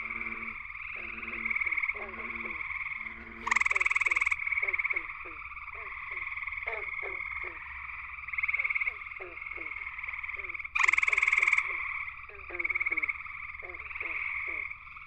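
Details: A male gray treefrog (Hyla versicolor) sings at night from low willow branches at a West Virginia pond's edge, loud musical trills rising above a steady hum of a chorus dominated by gray treefrogs.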